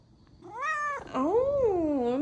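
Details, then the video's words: House cat sulking at its owner after days apart: a short level meow, then a longer wavering meow that rises and falls, given as a woman speaks Korean to it. "엄마한테 삐진 고양이 말하는 고양이"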